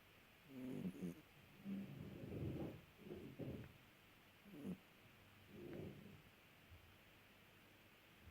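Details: Snoring domestic cat making a series of low, rough breathing sounds at irregular intervals, about six snores, the later ones softer and more widely spaced, with a quiet background.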